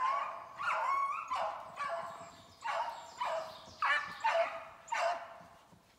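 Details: Beagles out of a Maine kennel running snowshoe hare to work off weight, 14 July 2019; steady string of loud, bawling bays about every half second, pitch sliding within each note.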